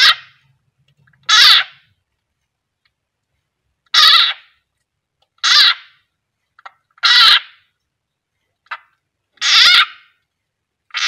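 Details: Loud shrill cries from a frog being swallowed by a captive keeled rat snake (Ptyas carinata): about six strong harsh screams spaced one to three seconds apart, plus a couple of softer short squeaks.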